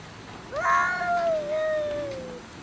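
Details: Domestic cat fighting with another cat over food: a single drawn-out harmonic yowl, rising sharply then sliding slowly downward over about two seconds, in a quiet indoor setting.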